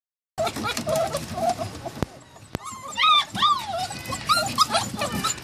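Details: Samoyed and Siberian Husky puppies giving high, wavering whimpers and squeals. The calls rise and fall at varying pitch among scattered clicks and rustling, with a quieter stretch in the middle.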